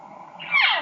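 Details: Replayed recording of a desperate cow elk calling at very high intensity, believed to be calling for her separated calf: one short whining mew that rises sharply, then slides downward with strong harmonics, after a soft low lead-in.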